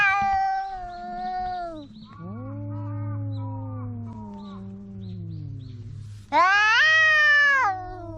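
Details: Quarrelling house cats in a standoff: overlapping wailing yowls, one sustained and slowly falling in pitch over several seconds, then a sharper, louder rising howl near the end, over a steady low background hum.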